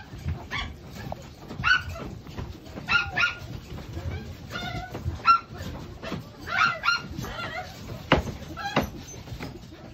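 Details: Toy Poodle, black, indoors near a litter of newborn puppies; repeated short high yips and whimpering cries, several bursts with harmonic whines, a woman's voice scolding briefly nearby.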